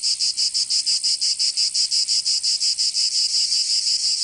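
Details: Cicadas of southern France's Provence singing in summer: intense, sizzling buzz rising and falling in rapid, regular beats, about twelve pulses over four seconds, nothing else audible.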